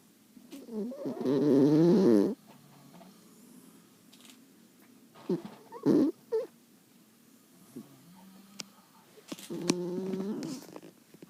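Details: Ten-year-old pet Maltese named Midal, a female, snoring in deep sleep; a loud, wavering, nasal snore lasts about one and a half seconds, then quieter gaps broken by short snorts near six seconds and another rasping snore near ten.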